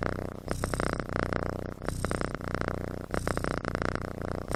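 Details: A kitten snoring in its sleep: rough, buzzing pulses run in breath-long bursts, broken by brief pauses roughly every one and a half seconds.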